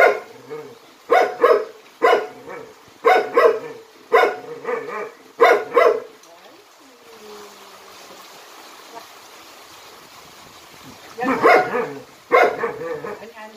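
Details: A Jindo dog called Jinmyeong performs jump-rope tricks in Jindo County, barking in a steady run of about eight loud, clipped barks, falling quiet for several seconds, then barking twice more.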